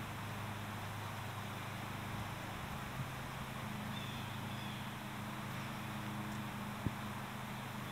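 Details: Western honey bees flying hard on a spring day, April 20, make a steady, low droning hum that holds without a break.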